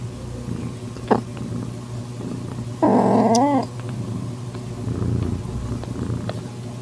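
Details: Calico tabby cat in heat accepting a calico kitten found in a garage, 8 September 2021 at 6:30 pm; quiet rustling broken by a single drawn-out wavering meow of under a second, then soft low murmurs.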